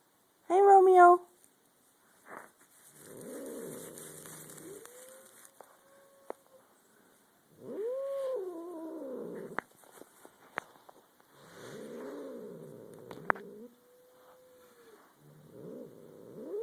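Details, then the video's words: Two domestic cats growling at each other, a third cat as spectator: a sharp, high yowl, then repeated low, rumbling, wavering growls in bursts of a few seconds, separated by quieter tonal moans. "cats' growls"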